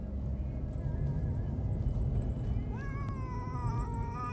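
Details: One of two male cats, a black one and a white one, gives a sustained, wavering protest meow that rises sharply and then holds while being taken by car to the vet for castration, over a low engine-like rumble.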